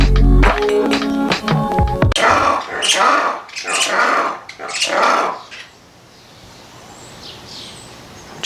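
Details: Black-and-white ruffed lemurs at a zoo, among the loudest lemurs with little vocal variety, give harsh, raucous barking bursts about every two-thirds of a second for three seconds, after a brief stretch of music.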